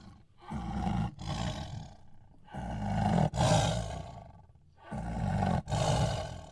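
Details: Tiger growling deep and rasping in three long pulsed bouts, each broken by a short gap, with heavy low rumbling throughout.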